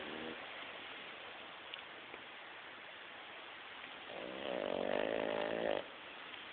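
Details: Snoring Boston Terrier called Beef, a family pet: soft breathing hiss for several seconds, then one rough, vibrating snore lasting under two seconds, ending abruptly.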